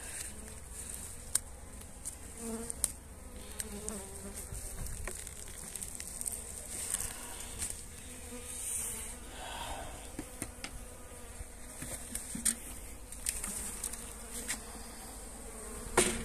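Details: Honey bees being fed energy cakes on 29 January in very pleasant weather: a low, steady hive hum with a soft droning band, broken by scattered sharp clicks and taps from hive handling.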